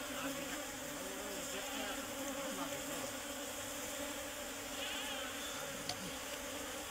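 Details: Serena honey bees, a colony nesting inside a tree while the nest is cut out: a steady, dense droning hum with layered tones, overlaid by nearby men talking.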